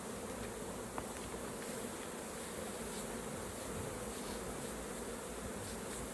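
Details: Honey bees at an open hive during a beginners' raw honey harvest and hive inspection. A dense, steady, low buzzing hum runs unbroken throughout, with a single faint click near the start.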